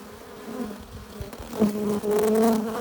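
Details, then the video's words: Western honey bees hum steadily at a hive entrance, a low droning buzz swelling and fading as individuals pass close, bringing in pollen and nectar. "15 minutes of bee hive entrance! Relaxing sounds! Buzzing sound efects"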